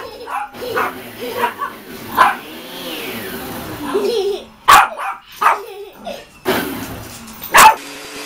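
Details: Dog barking at a vacuum cleaner: sharp, loud barks come irregularly, about one every three seconds, with yips and whining between them over a background of machine hum.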